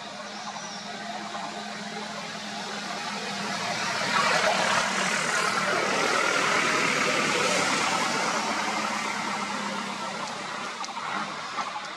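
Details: Steady broadband road noise from a passing vehicle swells and fades, with no clear animal calls.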